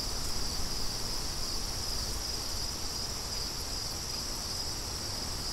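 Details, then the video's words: Outdoor cricket chorus in the wind, a constant shrill high trill running without pause, partly masked by a low, gusty wind rumble that eases slightly after the first second. "Crickets & Wind"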